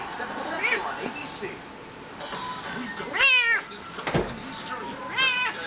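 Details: Talkative Bengal cat meowing while being petted indoors: two clear, rising-then-falling harmonic meows, the first longer, the second shorter near the end, over steady background television talk about macaroni and cheese.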